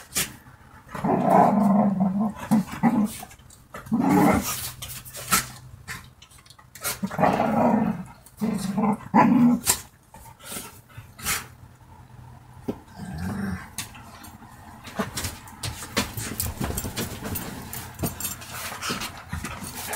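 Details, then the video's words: Playful dogs tussling and fighting give throaty growls in repeated surges through the first ten seconds. Later the growls fade into lighter scuffles, thumps and clicking movement noise. "Hunde spielen und kämpfen miteinander Dog Fight Geräusch Sound Klang"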